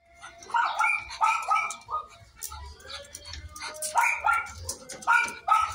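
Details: Miniature Pinscher during a natural mating stud session; clusters of short, high, strained whining yelps in two bursts, with soft low thuds between them.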